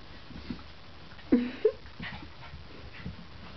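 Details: Two miniature poodles wrestling and play-fighting indoors; a short whiny growl-yelp pair rises and falls, with a person's voice before it.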